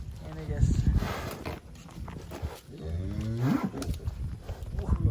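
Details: Giant cattle, one of eight being loaded onto a truck bound for Bogor, give a low moo that swells and rises in pitch near the end, after a shorter lowing earlier. Men talk over it, with shuffling hooves and footsteps.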